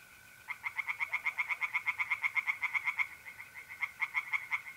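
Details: A pond in North-East Italy at night in mid April, where tree frogs sing fast, evenly spaced nasal croaks, nearly three per second, above the thin, unbroken trill of mole crickets.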